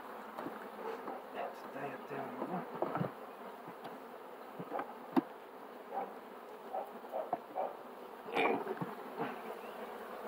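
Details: Continuous hum of honey bees, a dense low drone with brief louder buzzing passes, interrupted by a few sharp taps and handling noises.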